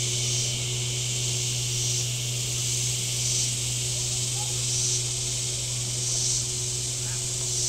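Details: Shoreline cicadas at Table Rock Lake, southern Missouri, on a hot day: a shrill buzzing wash rising and falling roughly every one to two seconds over a steady low hum from a boat engine.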